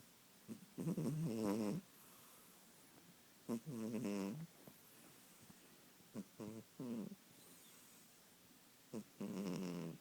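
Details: Sleeping kitten giving rough, wavering snores, some long and some clipped, about every two to three seconds, with soft breath noises between them.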